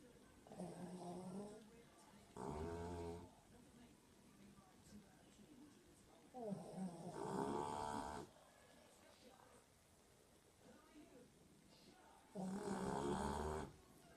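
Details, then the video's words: Sleeping dog snoring indoors: three long, harsh, rattling snores about four seconds apart, each roughly a second long, with quiet breathing noise between them. "Funny Snoring Dog Compilation 2018"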